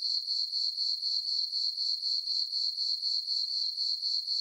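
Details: On a farm meadow on a moonlit summer night, crickets give a shrill, even chirp that throbs about four times per second. Nothing else is audible.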